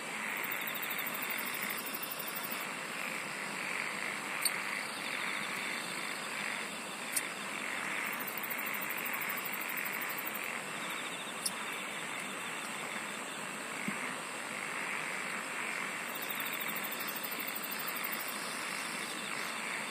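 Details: Continuous insect song: a sustained high shrill tone with recurring bursts of very high rapid trilling, a lower pulsing buzz, and a few sharp clicks standing out.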